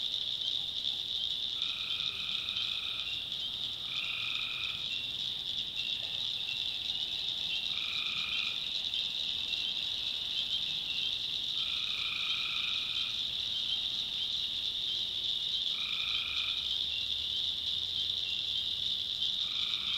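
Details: In a North Carolina backwoods swamp at night, tree frogs keep up an unbroken shrill chorus, punctuated by about six separate lower droning notes of a second or so, spaced a few seconds apart.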